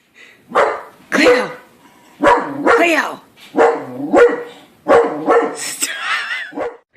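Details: Pet dog barking in a run of about six loud, harmonic barks spaced roughly half a second to a second apart, some doubled, ending in a higher, wavering whine-like yelp.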